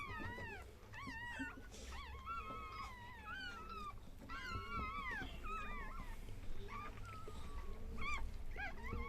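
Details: Chihuahua puppies just born, crying in a rapid string of high, bending squeals and whimpers, some long and wavering, over low background hum and faint music.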